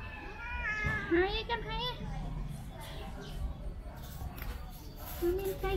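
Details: Domestic cats Jing and Puma, a brother and sister with oily ears, during ear cleaning at home; a drawn-out, arching meow in the first seconds, a shorter meow near the end, with people talking over it.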